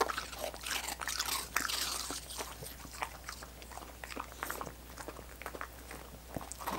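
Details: Dogs licking coconut water popsicles: dense, wet, clicking slurps come in quick irregular bursts, louder in the first two seconds, over a steady low hum.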